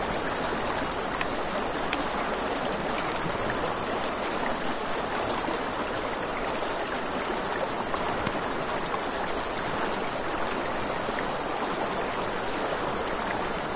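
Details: A constant, thin, high cricket trill rings out at night beside a river, layered over a dense wash of flowing water, with only occasional faint fire crackles.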